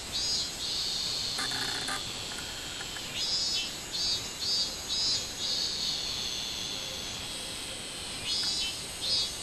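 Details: Robust cicada singing on 24 July 2016: bright, buzzy pulses repeated about twice a second, rising and falling, over a steady high drone of other cicadas. A few faint knocks sound in the background.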